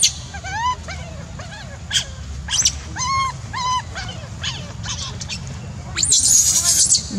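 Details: A monkey cries in a run of high, arched, whining squeals, each rising then falling, repeated at under one-second intervals, with a louder, harsher burst near the end over a low background hum.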